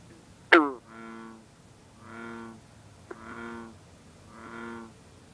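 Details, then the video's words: Green frog singing at night with bullfrogs calling behind it, mist rising from the water in cool 50s air. A single bright twanging note, then four slow, deep, droning calls at regular intervals. "Green Frog(a.k.a Bronze Frog) singing"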